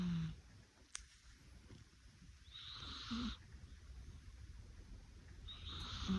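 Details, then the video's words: A sleeping domestic cat snoring softly: quiet, breathy, hissing snores come about every three seconds, with faint low rumbling between them in an otherwise quiet indoor setting. "猫のいびきが超絶に可愛かった a cat's cute snoring"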